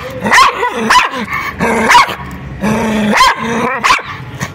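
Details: White dog tied beside a public road, aggressive toward a person approaching him: loud, harsh barks roughly every second, with snarling, growly tones between them.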